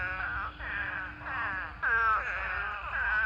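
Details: Spadefoot toads calling in a mating swarm of thousands in a pond: overlapping nasal, wailing calls from many toads form a dense, continuous chorus that swells and fades every second or so.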